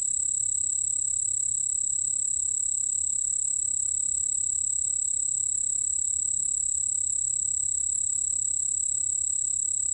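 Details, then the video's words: Continuous song of a white-whiskered bell cricket, National Institute of Biological Resources 2020 recording: a constant shrill ringing trill at high pitch with a weaker lower band, uninterrupted and level, soft rumble underneath. "흰수염방울벌레, 여러번 듣기, 곤충소리"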